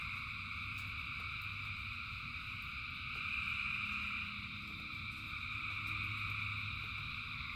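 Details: Massed frogs singing in the rain, continuous high pulsing trill that swells louder midway, with rain patter, low rumble and occasional clicking drops.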